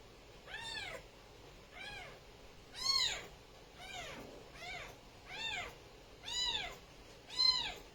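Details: Kittens calling in a steady series of seven loud, high, arching meows, each rising then falling, roughly one per second, with rich overtones and little else audible.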